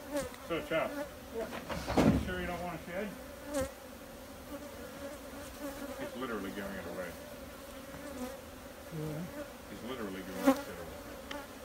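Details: Crowd of honey bees buzzing, the drone wavering and sliding in pitch as individual bees pass close, mixed with frequent knocks, clicks and a loud thump early on.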